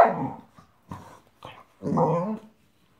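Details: A five-month-old female Boxer/Boxador puppy grumbles at her new Pinky Pig toy, which she hates. Four rough, low growling bursts come within three seconds, the last the longest and loudest, with short silent gaps between them.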